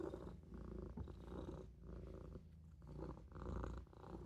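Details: Napping Maine Coon kitten curled in a sink, giving a deep, steady purr with rhythmic breath-linked pulses that rise and fall roughly every second.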